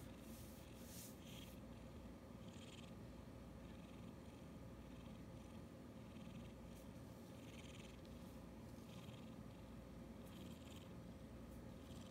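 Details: Pet cat purring steadily; continuous low rumbling purr with soft intermittent higher rustles and a constant background hum.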